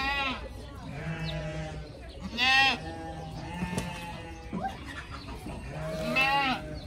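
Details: Pygmy goat kids in a playful group, running, jumping and butting heads; three loud, quavering, strongly harmonic bleats, near the start, the middle and the end, over a steady low hum with faint voices.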